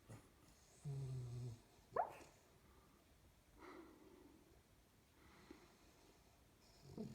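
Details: A sleeping 12-week-old springer spaniel puppy dreams, snoring and making funny noises. A low humming snore is followed by a sharp squeak and then fainter breathy sounds.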